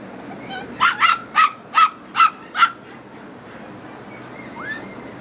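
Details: A seven-month-old toy poodle during training gives six sharp, high yipping barks in quick succession, about one every half second, then falls quiet over a steady background hiss.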